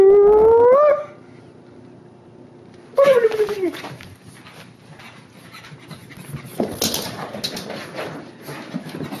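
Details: Pug, a curly-tailed dog, acting fearful: a high whining cry rising in pitch for about a second, a pause, then a second shorter falling whine, followed by scuffling and rustling noise.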